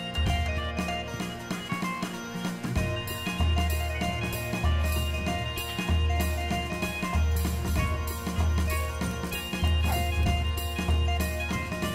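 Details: Steady rhythmic music of pulsing bass drum beats, bright steelpan-like tones and jingling percussion fills the whole stretch, with no animal sounds.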